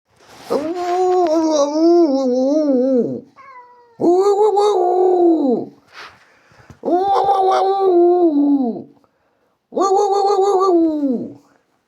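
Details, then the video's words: Indoor domestic cat giving four long, drawn-out wailing meows, each about two to three seconds, steady then falling at the end, separated by short pauses with faint softer sounds between. "Уааауууууууу.... #cat"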